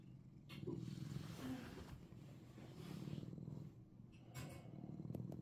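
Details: A Russian Blue cat in Seoul, Korea, purrs with a steady, low, rumbling vibration that swells and fades.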